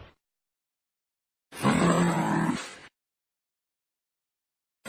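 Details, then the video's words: Angry kangaroo: one harsh, rasping growl lasting about a second and a half, rough and noisy with a low droning undertone, set between stretches of silence. "Angry kangaroo sound effect"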